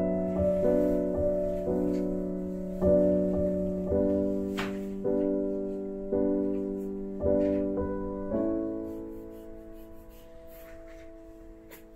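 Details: Soft piano chords struck every second or so and left to ring and fade, with a few faint clicks and knocks in the room, and no animal voice.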